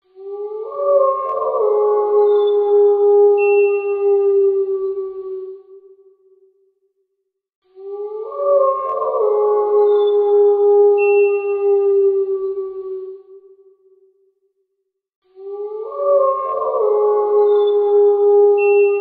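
A wolf gives long, steady, mid-pitched howls, each held about five seconds and repeated in a regular cycle.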